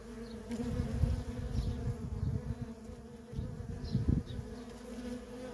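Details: Feral colony of honey bees with constant worker traffic: a layered humming buzz, pulsing louder as several bees fly near in quick succession, with quieter moments between passes.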